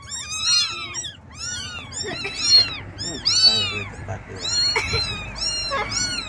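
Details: Domestic kittens calling their mother for milk: many overlapping high, arched mews in quick succession, some rising then falling, with a few soft words spoken nearby.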